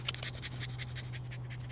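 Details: Holly Holm, a 14-week-old female American Bully puppy, pants rapidly and rhythmically at roughly eight breaths per second, each breath a soft airy burst, over a steady low electrical hum.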